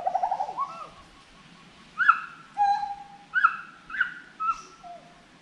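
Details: A forest monkey gives a rippling, wavering hoot that slides downward, followed after a pause by four short, loud upward-swooping whoops spaced about a second apart and one flat, sustained tone.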